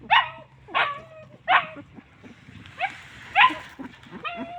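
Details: Homeless dogs, described as hungry and thirsty, calling out: short high yelping whines falling in pitch, about six in under five seconds, loud and clear over a quiet background.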